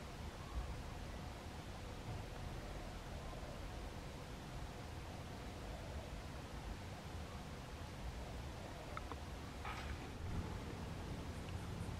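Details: Steady broadband noise and rustling fill the garden recording, with a few faint clicks near the end and no animal call heard.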